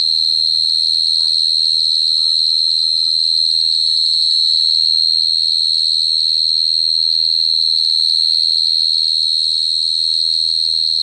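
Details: Cricket singing a steady, high, ringing trill that holds one pitch without a break, with a few faint soft chirps early on and a low hum underneath.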